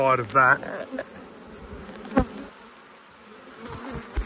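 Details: Honey bees humming during an autumn inspection of a beekeeper's hives, where one colony had swarmed and raised a new queen: a steady, low, droning buzz fills the air after a brief burst of human speech, with a single sharp knock midway.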